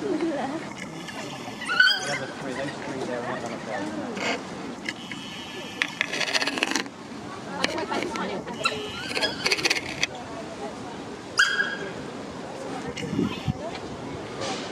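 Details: Six male African wild dogs (painted wolves, Lycaon pictus) at London Zoo trade high chirps, squeals and twittering calls during a dominance display.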